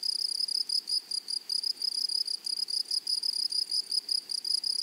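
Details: Meadow grasshoppers produce a rhythmic, shrill trill, clearly separated bursts roughly four to five per second, with a bright high tone and a thin upper overtone.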